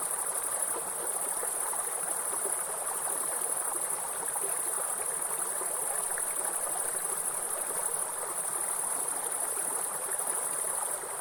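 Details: Forest grasshoppers keep up a sustained, piercing high hiss without breaks, while a waterfall roars steadily in the background across the whole stretch.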